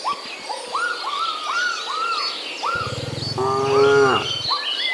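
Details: Kampung cattle herd out foraging for fresh grass, one cow giving a long, low moo with strong harmonics lasting almost two seconds, set against continuous repeated arched chirps and higher twitters.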